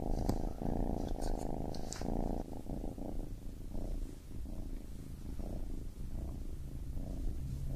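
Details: A baby kitten gives a strong rumbling purr that softens and turns fainter and more irregular after the first few seconds, with light rustling at the start.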